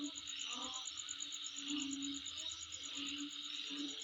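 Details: Insect calling near home: continuous high shrill droning with a rapid, regular pulsed trill on top, while low hooting tones and a few soft mid-pitched chirps drift in and out underneath.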